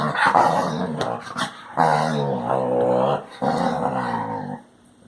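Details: Basset Hound vocalising: three long, loud, throaty moaning growls with rich harmonics, each lasting about a second and a half, the last one fading to quiet.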